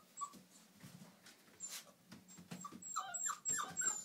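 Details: Old English Sheepdog puppies, all female, playing together; short high squeaks and whimpers come in quick irregular bursts, thickening toward the end, over soft shuffling and thumps.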